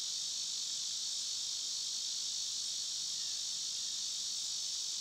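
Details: Loud, constant high-pitched droning of cicadas on a summer day, a seamless buzzing wall of sound with no other clear voices.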